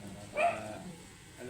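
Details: A matted Shih Tzu, angry while being groomed, gives one short, sharp bark with a clear tonal core and bright overtones, followed by a low steady background hum.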